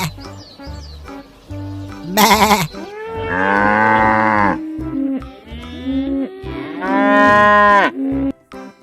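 A cow gives two long, drawn-out moos with a rich, nasal tone that bends slightly in pitch. Background music plays throughout, and a shorter wavering bleat-like call is also heard.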